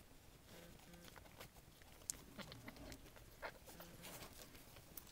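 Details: Two-week-old Havanese puppies from Reme's litter, born several days early with eyes not yet open, give soft, short whimpers and grunts in low tones, scattered across a quiet indoor scene with faint shuffling and patter.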